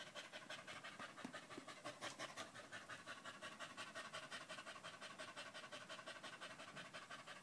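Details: Danco, a pet dog, pants loudly while staying close at a person's leg, recorded 05.08.2013; rapid, steady breathy puffs, about three per second, each a short broadband hiss, continuing throughout.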